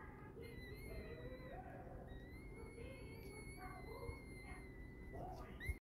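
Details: Prague Ratter puppies of litter T, one day old: a thin, high whining tone held for several seconds and gently wavering, with fainter lower squeaks and a low steady hum underneath.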